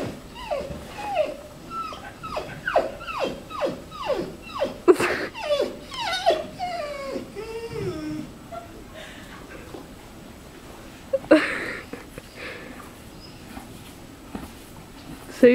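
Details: A needy, clingy Labrador Retriever whines in a rapid series of high, falling whimpers, roughly two per second, then quieter drawn-out whines and a sharp yelp near the end; a person's voice is faintly heard.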